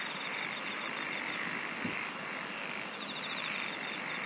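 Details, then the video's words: A constant chorus of singing insects: a very high rapid ticking trill at the start, a rolling shrill band below, a fine pulsed buzz mid-way, and a soft low thump partway through, over steady hiss. "SINGING OF INSECTS"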